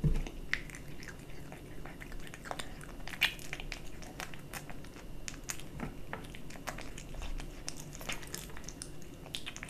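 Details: Kitten eating dry and wet cat food: rapid, irregular crunching and chewing clicks throughout, a dense run of sharp bites over a steady low hum.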